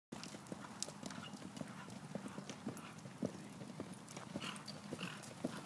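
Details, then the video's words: Two Friesian horses cantering, their hooves striking in a quick, steady rhythm of sharp thuds and clops, repeated several times a second, over a constant low background rumble. "Friesians cantering"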